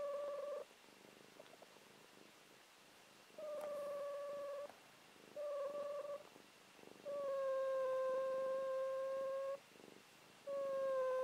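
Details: Sleeping and dreaming, Buffy, a fluffy once-feral house cat, snores in a series of about six clear, level, whistling tones, each lasting one to two and a half seconds with quiet pauses between, indoors and otherwise still.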